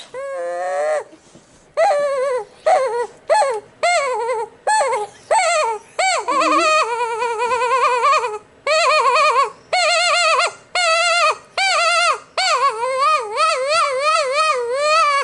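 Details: Pit bull kept as a pet, worked up by noises, letting out a long series of wavering, whining cries, each rising then falling, about a dozen in quick succession with short pauses between.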